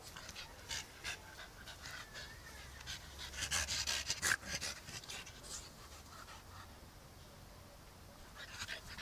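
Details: French Bulldog, one year old, playing outdoors in a yard with its soft toy dalmatian; quick, breathy panting bursts in irregular runs, louder around the middle, with a brief human voice.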